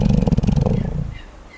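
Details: Koala asleep and snoring, a low throbbing rumble of quick pulses lasting about a second before dying away into quiet.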